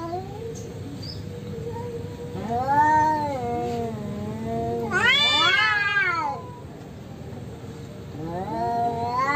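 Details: Orange cat and rival stray cats in a natural fight: low drawn-out growl under arching yowls, a loud strained wavering scream in the middle, then a rising howl at the close.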